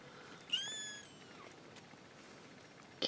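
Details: A kitten, one of a new litter of four, gives a single high rising-then-falling mew near the start, followed by quiet background hiss and a brief click at the end.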